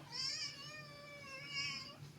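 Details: Pet cat in a light-hearted home clip giving two drawn-out harmonic meows, the first rising then sagging, the second shorter and brighter, over a low steady indoor hum.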